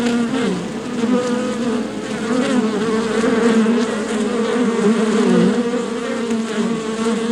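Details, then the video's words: Swarm of honey bees in a beehive, a thick steady drone of many overlapping buzzing wings, with wavering pitch bands and constant loudness throughout, no other sounds. "Beehive Sounds 🐝 Beehive Sound Effects 🐝 Bees Buzzing"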